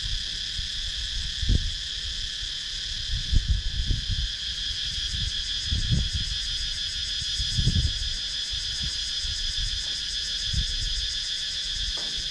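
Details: Wooded rural Sakon Nakhon, Thailand, cicada chorus taken with a GoPro Hero 9; constant high whining drone, a faster pulsing layer joining partway, interrupted by repeated low bumps and gusty rumbles every second or two.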